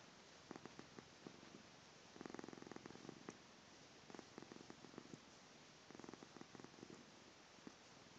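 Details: Sleeping pet cat purring indoors: soft bursts of rapid pulsing, coming in short runs separated by brief pauses, quiet against a steady hiss.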